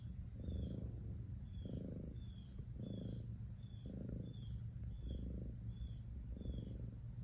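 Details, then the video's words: Low, rhythmic cat purr, the rumble rising and easing about once a second with each breath, while faint short high chirps repeat quietly in the background. "Soothing Sounds Of A Cat Purring"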